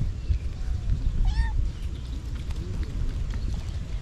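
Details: Mother cat protecting her kittens gives a single short meow, rising then falling with bright overtones, over a steady low rumble of outdoor background noise.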